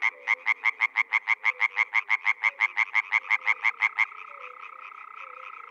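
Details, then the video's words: Spring frog voices from a Czech pond or wetland: one nearby frog repeats sharp, evenly spaced croaks, roughly three per second, for four seconds before stopping, leaving a fainter continuous chorus of other frogs. "European frog calls"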